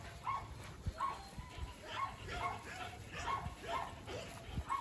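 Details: Belgian Malinois Thor training outdoors in obedience and control, barking repeatedly at a fairly even pace of roughly two barks a second, somewhat distant, with a man's Portuguese commands and field noise behind.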